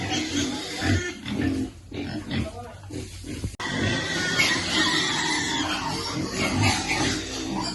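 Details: Young piglet awaiting food at feeding time gives rapid, uneven grunts and squeals, roughly two per second, with human voices and clattering over a noisy background.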